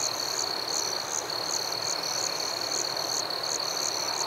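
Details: Crickets in a forest at night: a steady high-pitched trill runs throughout, overlaid by sharper, higher chirps repeating roughly every half second, over a soft, even hiss.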